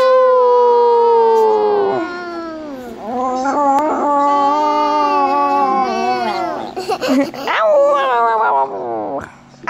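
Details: Male Chihuahua learning to howl: long, wavering, drawn-out tones that slide slowly downward, briefly break off, then swell again into a sustained quavering howl before trailing away at the end.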